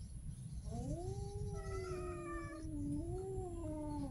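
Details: A street cat gives one drawn-out, wavering meow lasting about four seconds. The tone slides up, holds, then dips and rises again like a yowl. A constant low rumble runs underneath.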